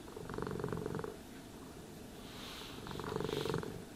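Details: Groomed cat giving a steady, low purr; two loud pulsing surges about three seconds apart, with a soft brushing hiss between them.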